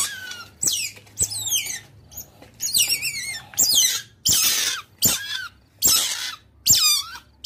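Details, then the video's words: Otter calling companions, a lure recording: a run of shorter, varied squeaks and chirps roughly once a second, some falling sharply, some wavering or rough, with uneven gaps and faint low background hum. "Suara Berang berang/Suara pikat ampuh berang berang memangil teman/Suara Otter"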